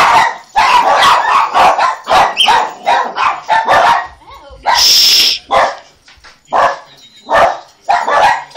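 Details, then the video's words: Several pet dogs barking excitedly at a ringing doorbell indoors; loud, rapid, overlapping barks in bursts, with a brief hissing noise near the middle and human voices mixed in. "barking at the doorbell"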